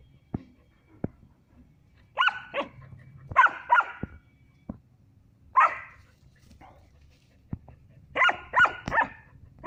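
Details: At a goat farm in Muzaffarpur, Bihar, India, a three-month-old female German Shepherd puppy plays with a male Barbari goat. She gives repeated clusters of raspy, high barks and yelps, with clicks and rustling between them.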